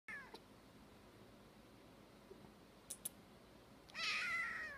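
A Siamese kitten gives a high, thin meow near the end, after a brief squeak at the start.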